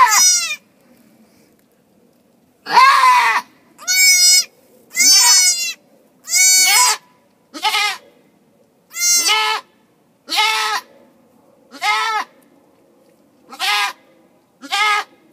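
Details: Goat on a farm during a birth in March, the mother giving birth; ten loud, wavering, harmonic-rich bleats, each about half a second long, following one another roughly every second after a brief pause.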